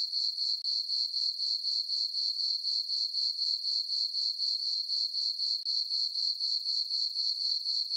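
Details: Summer-night crickets in a moonlit farm meadow give a shrill, evenly pulsed trill, roughly four beats per second, unbroken throughout; nothing else is heard.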